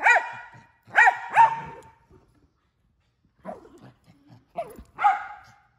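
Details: A male mini Australian Shepherd gives three loud barks, falls quiet, then adds two softer yips and one final bark.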